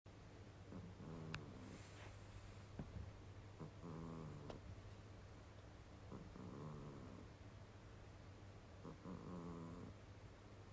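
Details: Sleeping pet cat snoring like a human: four rattling, droning snores with layered harmonics, each lasting about a second and spaced two to three seconds apart over a steady low hum.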